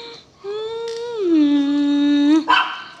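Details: Drawn-out, tonal whine from a Belgian Malinois, starting higher, dropping to a lower steady pitch held about two seconds, then cut off by a sharp bark.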